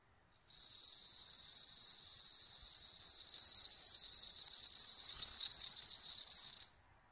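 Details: Home-bred bell crickets in Hokkaido, Japan, observed by cats; one continuous high, pure, bell-like trill lasting about six seconds, swelling louder twice, with a brief click at the start and otherwise quiet background.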